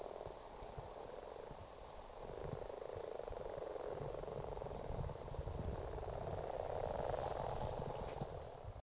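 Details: Breeding common frogs in a ditch in Argyll, February 2018, many calling together in a rapid, continuous low purring chorus of rattling croaks that swells slightly toward the end.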